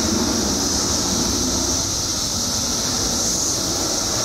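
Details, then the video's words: A mass emergence of periodical cicadas in Illinois, after 17 years underground, makes a steady, shrill wall of sound. A murky low rumble of background noise runs through it. "Billions of Periodical Cicadas Emerge After 17 Years Underground Cicadas Making Noise"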